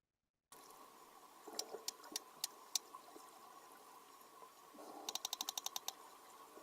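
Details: Sperm whale clicks: sharp, broadband knocks like stones tapped together underwater, first irregular, then a rapid regular burst in a repeated, non-random pattern. The huge nose evolved to make loud sounds for diving deep and finding squid; they also communicate in family dialects.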